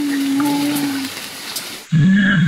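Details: Wild mountain gorillas sing as they eat, humming a low, steady, tuneful drone, a chorus of appreciation while feeding.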